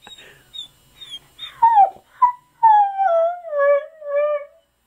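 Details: Husky dog vocalising as if talking, wanting his mammy: short yips and whines build into a long, sliding, moaning howl that falls and then levels off, while an owner coaxes him with questions nearby.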